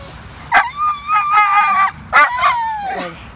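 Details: Ninja, a beach-loving dog in an epic tantrum when told it is time to go, lets out a loud sustained howl-like whine with a sharp onset, a brief bark, then a falling whine; a person keeps calling him.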